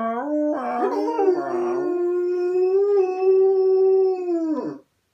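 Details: Household dog giving one long howl that starts with a few yelping wobbles, then holds a smooth, slightly rising tone for several seconds before breaking off.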